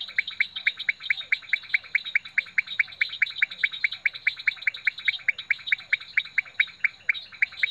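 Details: Leptodactylus podicipinus calling at Rio Claro Farm: short, sharp, clicking notes repeated steadily about two to three times per second, with a faint continuous high-pitched tone running in the background.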